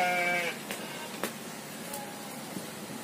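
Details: Goat at a pen set among rice fields, giving a single short, nasal, wavering bleat of about half a second, followed by quiet outdoor background with faint clicks.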